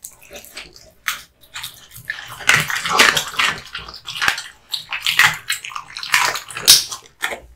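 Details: Male American Bully named Kotetsu eating hung raw meat and bones indoors: dense wet slurping and crunching in clustered bursts, broadband and splashy, separated by short silences.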